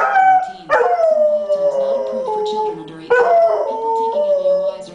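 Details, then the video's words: Pet dog howling along whenever a particular TV antidepressant commercial plays: long wavering howls that slide downward, with a higher sharp onset near the start and again after three seconds, over the commercial's soft music. "Dog sings along to Cymbalta commercial"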